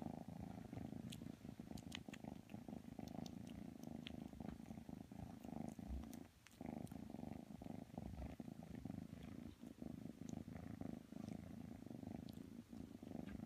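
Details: Purring of kitten Matsumoto as it snuggles up to Tanka the pit bull: a dense, continuous low rumble throughout, with scattered faint ticks and rustling.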